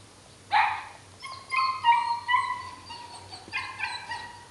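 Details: Chihuahua puppy at the Hotelcan breeding kennel giving a sharp yelp, then drawn-out whining cries with a steady pitch, repeated in three slightly falling bursts.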